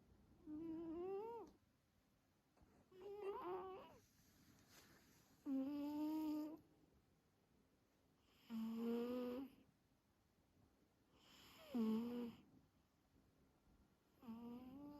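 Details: Carlos the house cat snores and purrs through active-phase sleep, each breath a warbling, harmonic rasp about a second long, six of them spaced roughly three seconds apart against near silence indoors.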